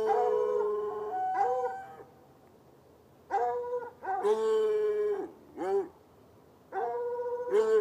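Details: Barking at night from two chained hounds, one white, one dark-colored, in bushy ground beside an irrigation ditch about 10 yards off; long, bending, howl-like barks, some falling in pitch, with brief silent gaps between volleys.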